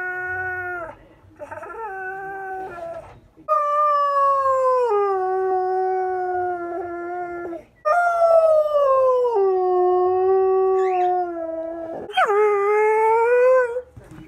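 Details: Four-year-old borzoi Bandit, usually quiet, howls and talks with his owner in the morning: a series of long, sustained tonal howls, each sliding gently downward, separated by brief breaks, with a few short yips between.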